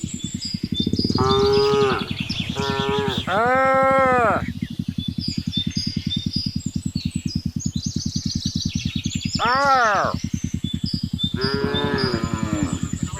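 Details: In the late afternoon, cattle herded home by a boy through a remote Indonesian village call to the herd. Several moos: a cluster of three early on, then two more near the end, over a persistent low pulsing drone and high chirps.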